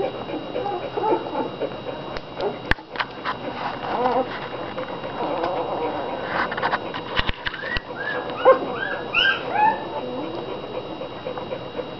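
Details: American Bulldog puppies, fifteen from two July 2009 litters, mostly eating and sleeping; soft murmuring and sharp knocks give way to a late run of short, arched high whimpers and squeals from several pups.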